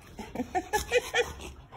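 A Rottweiler gives a quick run of short, high, whiny yelps.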